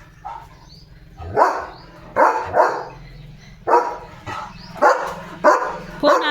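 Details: On a January 5 morning, a German Shepherd in a yard barks at sparrows at a bird feeder, chasing them off: loud, deep single woofs, about six over six seconds at an uneven pace, with faint bird chirps.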